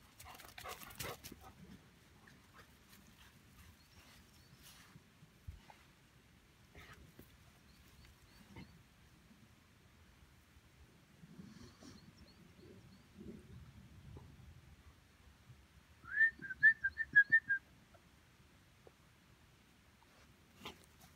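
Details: Labrador Retriever puppy giving a short burst of high, thin squeaky whines, about eight quick pulses within a second and a half, amid near silence with faint rustling and a brief clatter at the start.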